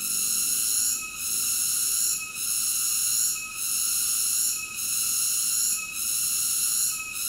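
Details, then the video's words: High-pitched, continuous cicada song, a dense metallic whine that eases off for a moment about every 1.2 seconds, six times here. No other sounds are present. "Cicada ASMR Sleep Nature Sounds"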